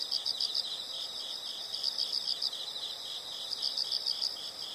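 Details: Insects calling outdoors: quick series of sharp high chirps in short runs, layered over a steady shrill buzzing chorus.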